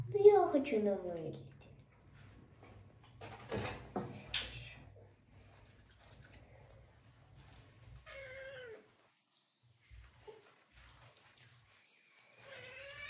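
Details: Kitten named Marseille, frightened but enduring while being washed indoors, gives a few drawn-out, falling meows with long pauses between them, mixed with people talking nearby.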